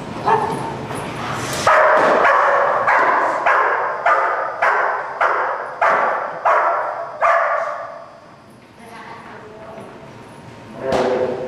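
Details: German Shepherd Dog barking during Schutzhund protection training, February 2010: a rapid run of loud, harsh barks about every half second for several seconds, a short lull, then one final bark, with a person's voice in the background.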